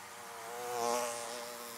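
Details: A single bee passes close by the hives, its whining buzz rising to a peak midway and then fading back into the constant background hum of the swarm.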